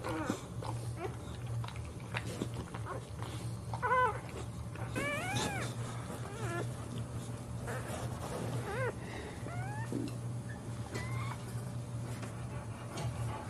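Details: During a Boxer dog's birth of her puppies, repeated high squealing whines come in bursts, some arched and wavering, others brief rising squeaks, scattered across the stretch above a constant low hum and soft handling noises.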